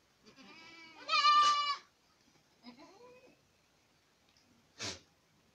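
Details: One loud, tremulous bleat from Boer goats at Acatlán de Osorio, Puebla, then a softer, lower wavering cry and a short thump near the end.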